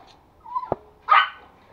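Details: A male toy Pomeranian in Kathmandu, Nepal, jealous as puppies are introduced, gives a brief whiny note, then one sharp, high-pitched yappy bark. Identified as a Pomeranian.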